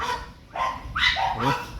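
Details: Ja-kol, an American Bully waiting outdoors in Pasita for a shoot, lets out three gruff barks in quick succession, the last one deeper and longer.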